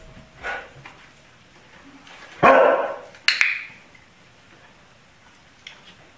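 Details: Pet dog barking as part of a door-approach training exercise: a sharp broadband bark near the middle followed by a second shorter bark, with faint sounds before and a quiet room afterward.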